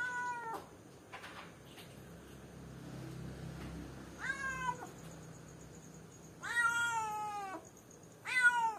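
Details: Cat left alone in a cage, calling for someone: faint soft sounds early, then three loud meows, long harmonic wails that fall in pitch at the end, spaced a few seconds apart over low hum.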